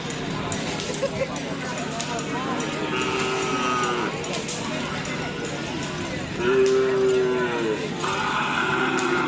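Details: Cattle at a karapan sapi bull race event on Sapudi Island, Indonesia; a short harmonic moo rises out of a noisy crowd near the end, amid shouting voices and general festival hubbub.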